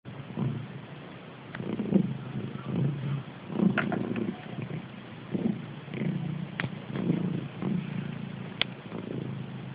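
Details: Sleeping cat snoring: low, rumbling breaths rise and fall in steady pulses roughly every one and a half seconds, with a few faint clicks and taps in the room.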